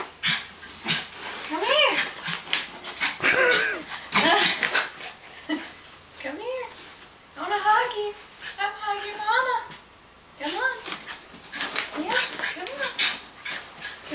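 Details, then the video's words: Zoey, a playful Westie, roughhousing indoors: a run of arched, nasal whimpers and grumbles, several strung together in quick series, while a woman talks and teases over the noise. "Westie Fun Time"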